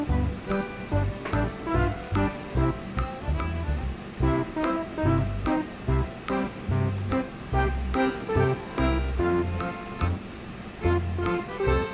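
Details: Upbeat music with a steady rhythmic beat, organ chords and guitar-like notes throughout, with no animal voice.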